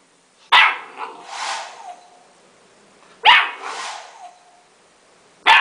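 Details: Golden Retriever puppy barking at a hair dryer it hates: three loud sharp barks about every two and a half seconds, each trailing into a softer grumbling whine.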